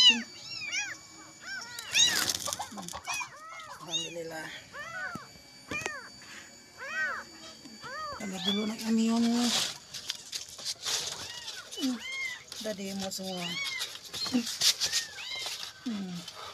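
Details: Kitten crying all night in search of its mother, trembling; a steady stream of high, arched meows, some short and some drawn out, with a low human voice talking between the cries around the middle and near the end.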